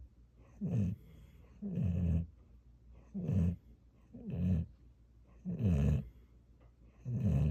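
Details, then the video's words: Gyeoul, a pet dog, snoring in a lullaby-like rhythm: six low, rumbling snores with a rattling, growly texture, each about half a second long, coming roughly every second and a quarter in a quiet room. "겨울이 코골이 자장가"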